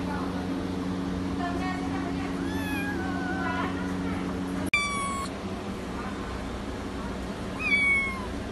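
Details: Persian kittens mewing in a string of thin, high, wavering cries, several overlapping early on, then a sharper squeal and a later rising meow, over a steady low mechanical hum.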